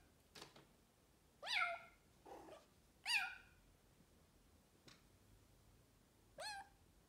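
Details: Pet Bengal cat, described as quite noisy, gives four loud, clear meows. Each starts high and slides quickly downward, spaced roughly one and a half seconds apart, with a few soft clicks and rustles between calls in a quiet room.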